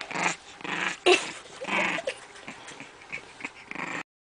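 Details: Bulldog making a series of rough, breathy growls and grumbles, four or five bursts of uneven length spread over about four seconds, loudest near the start, in a small quiet room.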